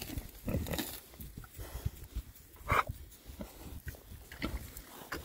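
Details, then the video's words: Rare breed Oxford Sandy and Black pigs, six males, on a winter forage between storms; scattered low grunts with one sharper, higher squeak near the middle, amid rooting and rustling noises. "rare breed Oxford Sandy and Black, happy pigs, winter forage. 6 boys. ASMR oinks."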